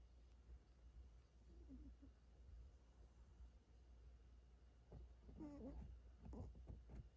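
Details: Sleeping, dreaming cat snoring: soft breathy rasps and a brief low murmur near two seconds, then a cluster of louder snorting breaths toward the end over steady low room hum.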